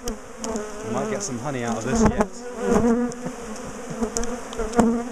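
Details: Honeybees from a large, defensive colony being split and moved out of a top bar hive in a garden; dense, droning hum with wavering overtones around the main pitch, with clicks and knocks of hive work throughout.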